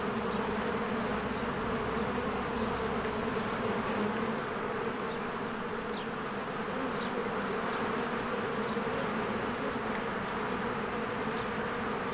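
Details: A large number of honeybees fly around their cozy hive among spring blossoms. A steady, low, buzzing roar persists throughout, with faint scattered bird chirps high above the drone.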